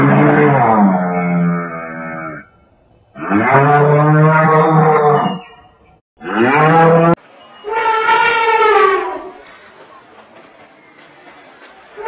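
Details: Large animal giving deep, drawn-out, moo-like bellows: three rich, harmonic calls of about two seconds each with brief silent gaps, then a higher, fading call trailing off into quiet.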